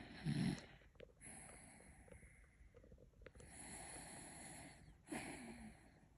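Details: A sleeping, dreaming dog snoring: a loud low rasping snort at the start, then softer drawn-out breaths at intervals, with broad hissy noise over each exhalation and a quiet room behind.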